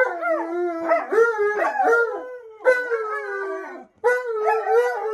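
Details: Short stretch of Alaskan Malamute howls, wavering tones with yelping upward flicks and overlapping voices, one brief pause, then the howling starts again.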